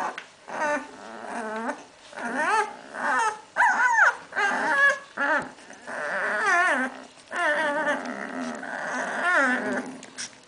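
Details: Young Hungarian Vizsla puppies, littermates born 8 May 2012, recorded 21 May 2012. They make bursts of tonal whimpering and wavering whines, separated by brief pauses. Several pups call in turn and sometimes overlap.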